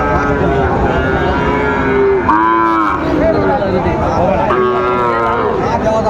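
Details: Sahiwal bull calves bought by a farmer from Bagerhat, Bangladesh, on 14 November 2024, lowing with drawn-out, wavering moos over a constant market din of voices and crowd noise.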